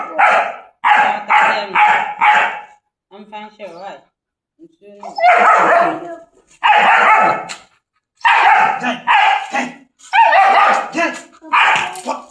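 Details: German Shepherd dogs, chained for the first time, bark loudly in a fast series of harsh bursts, a brief pause, then another run of repeated barks; people laugh and talk nearby.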